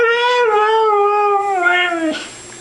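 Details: Female pet dog answering her owner's "I love you" and "good girl" with a long, wavering, tonal howl of about two seconds that sags slightly in pitch before stopping abruptly.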